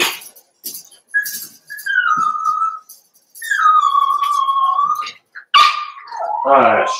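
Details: Eight Cavalier King Charles Spaniel puppies, Daisy's six merged with Robin's two, in their last days before leaving: long, steady whistled whines held about two seconds each, then a wavering, falling cry at the end.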